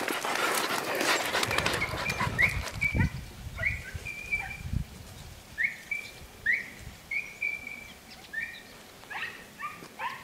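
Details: Podenco Andaluz hunting dog heard outdoors in a rural setting, recorded 3 December 2011; a loud noisy burst at the start, then short high yelping calls repeated irregularly, roughly every half second to second.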